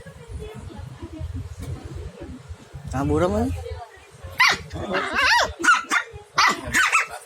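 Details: A village puppy and a small dog in a barking contest: low murmuring sounds early on, then sharp, high-pitched yapping barks in bursts from the fourth second onward, some short and clipped, others slightly drawn out.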